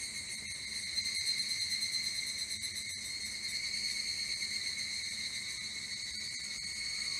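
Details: Evening cicada (Tanna japonensis), song.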